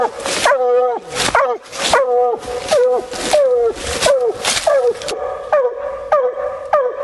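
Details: Bluetick Coonhound female on a coon hunt, baying in rapid, musical chops that drop at the end, about one and a half per second, with softer, shorter barks trailing off in the last two seconds.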